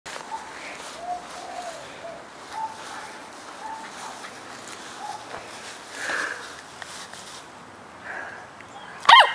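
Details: An 8-week-old Cardigan Welsh Corgi puppy, on its second day in a new home in Adelaide, South Australia, gives faint, thin whines, then one sharp, high yap, not yet a full bark.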